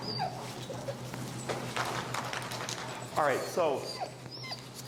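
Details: Finnegan, an extremely vocal feral husky, protests during heel training. There are two short whiny yelps that rise and fall in quick succession near the end, with a man speaking and footsteps in the background.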